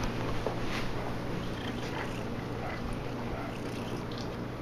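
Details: Domestic cats Velcro and Big Kitty, excited by catnip rubbed on a cat scratcher indoors, with a steady low rumbling purr running through the whole stretch and no other clear sounds.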